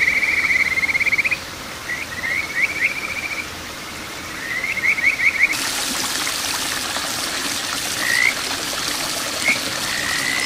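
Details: Kajika frog calling at a small rural stream in Boso, Japan, June 2023: bursts of quick, rising, whistled trilled notes strung into short series. Stream water rushes steadily and grows louder halfway through, with a few isolated rising notes after.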